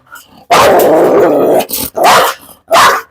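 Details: A Belgian Malinois lets out one long rough bark lasting about a second, then two shorter sharp barks, with brief Malayalam speech nearby.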